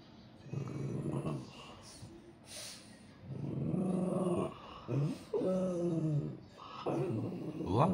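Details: French Bulldog in Japan at New Year, complaining: low rumbling grumbles build into several drawn-out, moaning talk-like sounds with rising and falling pitch, while a man speaks to the dog in Japanese.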